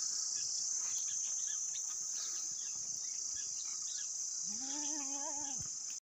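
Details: Saanen goat, a high-milking breed with a big udder, gives one wavering bleat of about a second near the end, rising then holding steady, over a constant high insect-like hiss that runs throughout.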